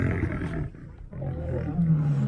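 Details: Lion walking the perimeter of its new home on its first day there, giving low, rumbling roars that dip briefly mid-way, then rise into a steady, throaty growl toward the end.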